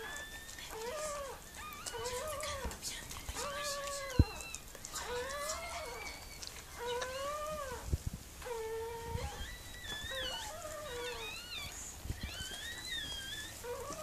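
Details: Whining from Mirella, a Miniature Pinscher in labour with her puppies: a steady run of curved, tonal whimpers, roughly one per second, some climbing higher near the end, over a faint room hiss.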